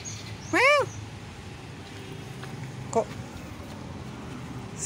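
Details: A trapped kitten screams in fear inside an iron grating: a loud, high mewing cry that rises and falls, followed by a short, fainter mew. This is a distress cry.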